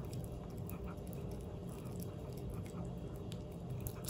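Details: Pomeranian chewing a Dentastix treat, close-up crunching and wet biting clicks packed tightly together over a few seconds in a small indoor room.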